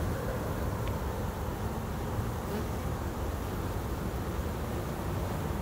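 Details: Continuous low droning hum of kept honey bees around a beehive, even in loudness throughout, with one short sharp click near the first second and a faint rumble of noise beneath.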